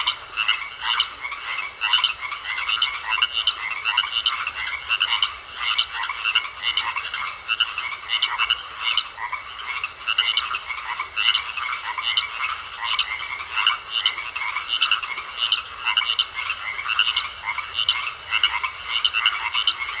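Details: A pond full of croaking frogs: continuous overlapping chorus of rapid, raspy pulses, many callers at once, never pausing across the whole stretch.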